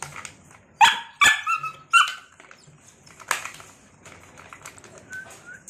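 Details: Red female Belgian Malinois dogs in a group: three sharp, yelping barks within about a second, a fourth bark shortly after, then two faint short whines amid rustling and knocking in a small indoor space.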